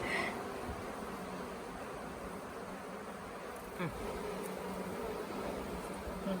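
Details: Honey bee swarm late in the year, settled for days on the grounds of the Tamarind Tree Hotel while being coaxed into a nuc box: a dense, steady droning hum of many wings filling the air, with a brief faint tick near the middle.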